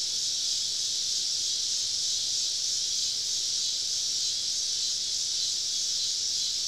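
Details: Cicadas singing all around a camp deep in southern woods on a summer evening: a steady, unbroken high-pitched hiss of many insects with no pauses or changes in loudness.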